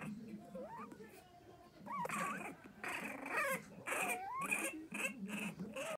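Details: A newborn litter of four French Bulldog puppies give thin, high squeals that rise and fall, with a low human voice underneath.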